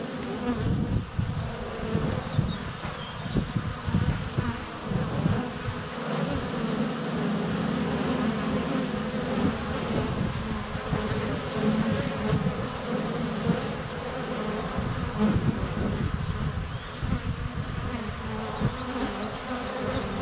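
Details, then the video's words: Close to a honey bee hive entrance during sunny February days, GoPro Hero 7 Black recording: sustained humming of many flying bees, with occasional sharp taps as bees land on the camera and faint distant birdsong. "4K Honey Bees - ambient video and audio"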